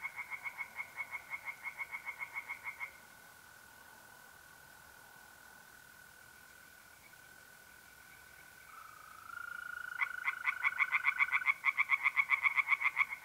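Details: April night by a pond in north-eastern Italy: tree frogs give rapid pulsed croaks for about three seconds, then a long stretch of continuous mole cricket trilling, before the frogs resume with a louder fast run.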